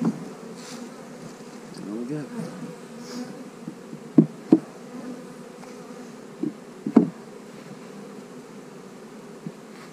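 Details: Honey bees buzzing during a hive split, a low, steady hum broken by several sharp knocks and taps as the hives are worked.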